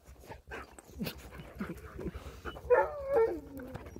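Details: Friendly sled dogs in Alaska, trained to be sociable, greeting a visitor: panting and soft snuffles, then a drawn-out whine that slides downward over the final second, with people's voices close by.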